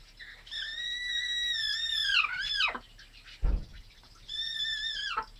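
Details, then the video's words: Grey Persian cat making a chicken-like voice: two drawn-out, high, steady harmonic cries, the first bending and wavering down at its end, separated by a brief low thump. "GREY PERSIAN CAT MAKES CHICKEN VOICED"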